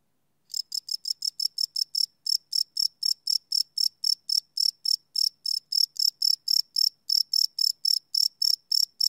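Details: After half a second of quiet, crickets start chirping at night, a fast even series of shrill, high pulses, roughly four per second, recorded live on a Sony PCM D100 field recorder.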